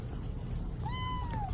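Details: A cat that had lost its voice and then got it back gives one clear, drawn-out meow that slides gently downward, over a steady background hum.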